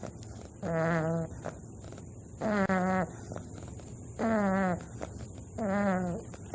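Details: Wakoo, a bulldog puppy, snoring while asleep: four loud, drawn-out nasal breaths with a whistling, buzzy tone, each about half a second long, spaced about one and a half seconds apart, over a faint steady hum.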